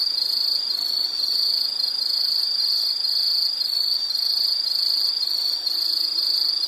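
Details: Insect chirping in a continuous nature ambience: a dense, high, steady trill with regular pulses about twice a second, unbroken throughout, with no other clear sounds.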